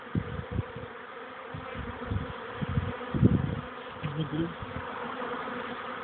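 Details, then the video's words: Many honey bees on young bees' orientation flights by the hive on a warm May afternoon following cool rainy days: a thick, constant hum with low fluttering thuds and crackles scattered through. "oblot młodej pszczoły"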